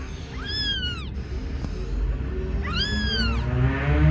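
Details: An agitated kitten gives two loud, drawn-out meows, each rising then falling in a bright arch with rich harmonics, about two seconds apart, against low background rumble.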